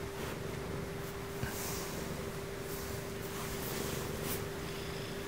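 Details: Ragdoll pet cat Sumomo purring during her bedtime routine as she grows sleepy indoors: a continuous low rumbling purr with a faint steady hum tone and occasional soft rustles.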